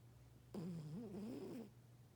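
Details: Sleeping house cat named Lucy, the oldest kitty of the household, gives a single buzzy, wobbling snore about one second long against a constant low background hum.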